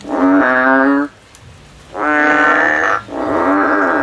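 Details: A male frog in the field gives three loud, drawn-out bleating notes of about one second each, harmonic and slightly wavering, with a short silent pause after the first.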